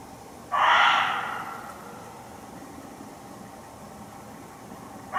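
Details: Hidden muntjac deer in a Hertfordshire forest undergrowth: one loud, coarse bark that fades over a second, quiet low noise after, and the start of another bark cut off at the very end.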